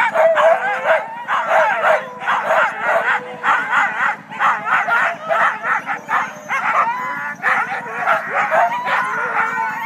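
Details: Pre-start din from a team of Siberian huskies at the Siskiyou County sled dog races, Klamath National Forest, California, February 9: rapid, overlapping barks and yips from many dogs, with occasional drawn-out wavering howls, continuous throughout.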